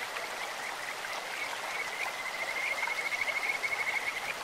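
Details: Kajika frog beside a clear stream, its call resembling a bird's or insect's: soft high notes lead into a loud, rapidly pulsed whistled trill in the last two seconds, above rushing water.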